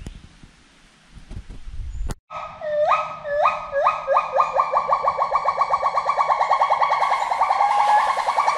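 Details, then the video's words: A forest monkey voice starts after a sharp knock and some low noise: loud rising whoop notes repeat, speeding up until they run together in a steady, ringing series that holds its strength to the end. "FOREST MONKEY VOICE"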